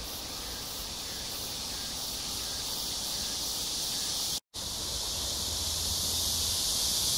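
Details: Cicada chorus at Amsa Ecological Park, Han Riverside, Seoul, South Korea, between 6 and 7 p.m. on July 26, 2021, in hot summer weather: a steady high buzzing wash that swells slightly, with a brief break partway.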